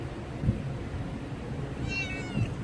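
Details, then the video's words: Young kitten making a demand of its owner over fish, letting out one thin, high meow that wavers and slightly falls over about half a second, set against a steady low hum and occasional thumps. "একটি বিড়ালের বাচ্চার আবদার দেখুন"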